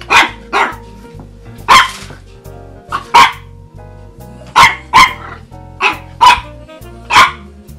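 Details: Cosette, a French Bulldog puppy, barks at her Christmas stocking on her first Christmas: about a dozen short, sharp yapping barks, some doubled, spaced irregularly over steady background music.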